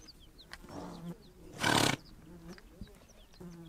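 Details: On the Mongolian steppe, a single sharp, breathy horse snort bursts out midway through. Low rumbling and scattered faint bird chirps sound around it.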